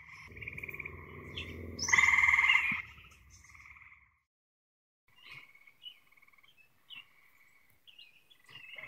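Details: Chorus of Eastern Gray Treefrogs calling all around a forest pond after dark in northeastern Ohio; one loud pulsed trill near the start over background rumble, then fainter distant trills from other frogs.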